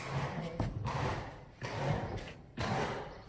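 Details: Indoor thumps and door-like slams recur amid a low murmur of voices, with no animal call present.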